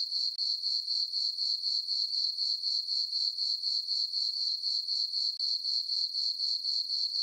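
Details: A summer night on the farm, crickets in a moonlit meadow giving a constant shrill chirping, evenly pulsed roughly four beats a second, a single high ringing tone with nothing else audible.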